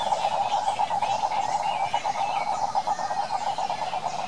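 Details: A brief stretch of wild cane toads calling in Brazil's Pantanal: an unbroken, rattling trill at a constant mid pitch, with faint bird chirping mixed in higher up.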